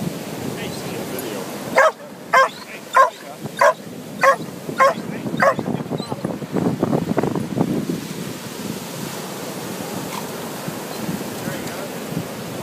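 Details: Lhasa Apso, a 17-year-old dog, playing on a beach; a burst of about nine sharp barks in quick succession near the start, then surf, wind and a person's voice.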